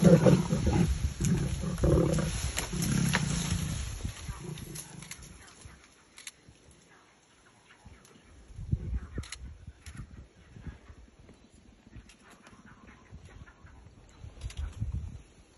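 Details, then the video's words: Lion fighting a leopard over prey up in a tree: heavy, deep growling roars dominate the first five seconds, then fade into quieter low rumbles and scuffling with scattered sharp knocks. "Lion fights leopard for its prey in a tree"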